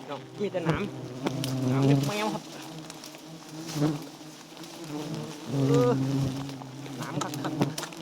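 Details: A swarm of wild giant honey bees buzzes around a small nest full of honey. The low, droning hum swells and fades in waves, loudest around two and six seconds, amid thumps and some talking.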